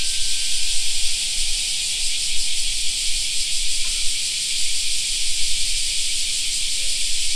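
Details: Summer park cicada chorus forms a continuous high, hissing buzz that never pauses, with a slight rhythmic throb. Soft low background noise and a brief faint tone appear early.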